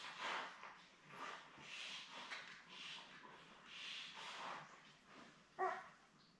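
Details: Newborn Labrador Retriever puppies, seven born May 24, 2021, with their mother Belle, on an indoor puppy cam on June 4: soft, breathy whimpering bursts about once a second, then one sharper squeak near the end.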